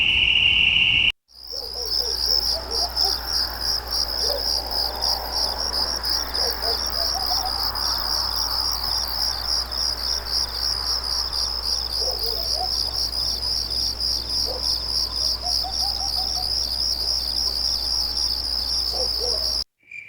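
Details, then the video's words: Night crickets in a dense, rapidly pulsing high chirping chorus that runs steadily, with faint lower chirps of other insects underneath. "Night Crickets, Night Ambience, Night Crickets sound effect"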